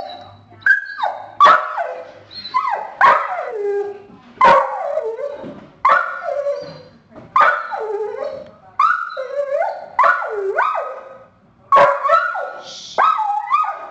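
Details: Mason, a household dog acting as an early warning system, barks and whines at a deer family passing through the front yard; a long run of whiny, rising-and-falling yelping barks, about one every second or two.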